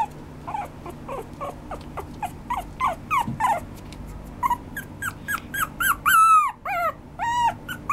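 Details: A small Maltese Shih Tzu mix dog (Canis familiaris) whimpers, giving a quick series of high, thin whimpering yips.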